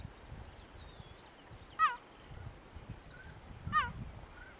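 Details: Cheetah barking in Kruger National Park, South Africa: two sharp, high, chirping calls with stacked harmonics, falling in pitch, spaced about two seconds apart over a quiet background with faint distant bird whistles.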